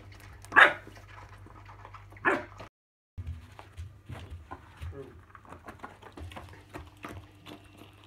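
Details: Schnauzer during a game of ball catch, giving two short, sharp barks about two seconds apart, then a brief gap followed by scuffling, soft thumps and quiet background noise.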